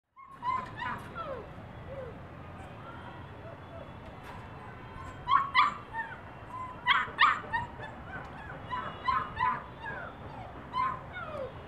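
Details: Long-coated German Shepherd puppies from an import bloodline, offered in Delhi; high whimpers and short yelps rise and fall in scattered bursts, several voices overlapping, clustered around five to eight seconds over a steady low background hum.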